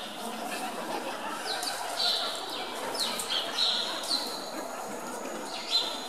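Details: Hungry meerkats at Zoo Augsburg, fed chicks and chasing one another to snatch food away, give sharp high squeaks that slide steeply downward, spaced irregularly every second or so over a soft murmur of visitors' voices.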